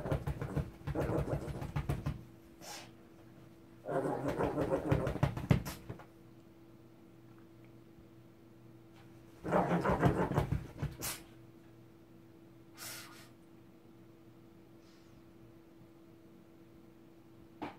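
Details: Ssong, a pet Shih Tzu, growling in anger: three rough, rumbling bursts of about two seconds each, separated by quiet pauses, with a few short huffs in between and a steady low electrical hum throughout.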